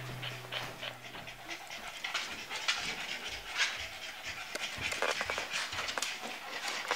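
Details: Rapid, breathy panting from tired Boston Terriers after a short walk, harsh hissing puffs coming in an uneven stream.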